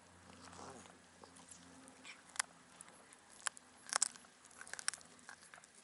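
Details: Black cat on a cat island, near a harbour, greedily devouring fish given by anglers: sharp crunching and snapping bites at irregular moments, loudest around the fourth second, over low steady background hum.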